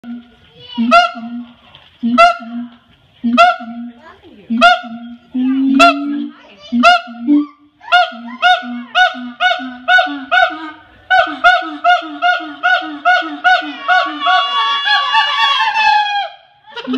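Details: A siamang at the Los Angeles Zoo gives loud, nasal, honking hoots that repeat and quicken, building into a dense climax.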